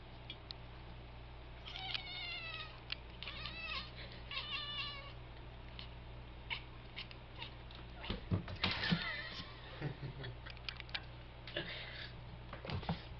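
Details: Pet cat making weird noises when he wants to attack something, indoors; rapid series of short chirping, stuttering meows with harmonic rises, then scattered clicks and thumps, steady low hum throughout.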